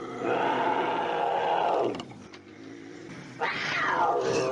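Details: A bobcat gives a long, steady, strained howl lasting about two seconds that drops away at the end. After a short pause, a second howl sweeps sharply upward and then falls in a screeching arc.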